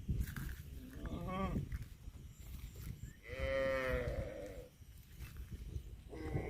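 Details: Cattle from a funny cow compilation: a short harmonic call, then a longer drawn-out moo lasting over a second, with a third call starting at the end, over steady low rumbling background noise.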